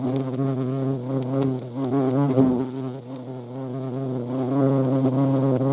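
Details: Vespa crabro, the European hornet, buzzing at a feeding place: a loud, low, steady hum whose pitch wavers up and down as the insect hovers.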